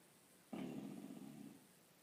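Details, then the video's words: Bulldog sleeping upside down, snoring: a single low, rough, rattling snore lasting about one second, in a quiet indoor room. "Funny Bulldog snoring upside down."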